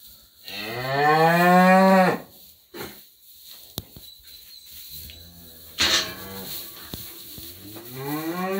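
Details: Parthenais cattle lowing: one long, loud, harmonic-rich moo that rises then drops over about two seconds, followed by quieter stretches with clicks and a second, shorter moo starting near six seconds, then a rising call at the end.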